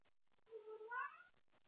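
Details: Domestic cat indoors late at night, up playing with toys and calling out for someone to play with: one drawn-out meow under a second long, rising in pitch toward the end, over faint tapping.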